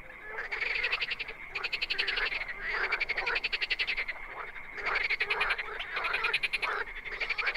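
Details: Wild frogs croaking in overlapping bursts, each a run of fast rattling pulses lasting one to two seconds, separated by brief lulls, with a continuous high trill running underneath.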